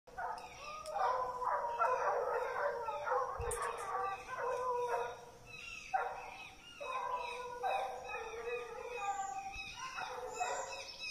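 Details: Treeing Walker Coonhounds out hunting, several hounds baying together in overlapping, drawn-out howling bawls with no real pause, some notes falling in pitch, a chorus of voices continuing through the whole stretch.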